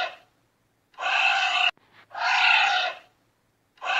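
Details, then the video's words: Giant anteater giving harsh, breathy, roaring bursts that last under a second each, a pair of them separated by a short catch of breath, then silence before another begins; no other sounds. "sound of the giant anteater"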